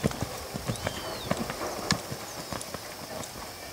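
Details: Hoofbeats from a brown purebred Lusitano stallion, uneven clusters of dull knocks and clicks, quick at first, then sparser; soft bird chirps overhead.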